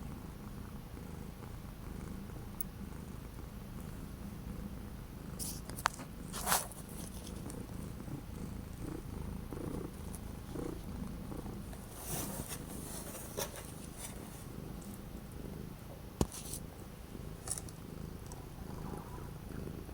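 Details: Orange domestic cat indoors on a cold, very windy day in January 2025, purring in a steady low rumble throughout, with scattered clicks and brief rustling bursts.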